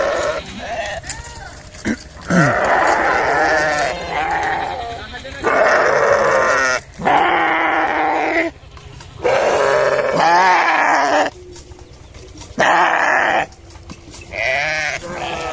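A sheep bleats loudly again and again, each quavering cry lasting about a second.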